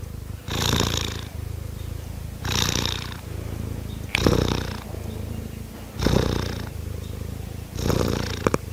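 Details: Kittens purring; continuous low throbbing purr, swelling into brighter rasping surges about every one and a half to two seconds, five surges in all.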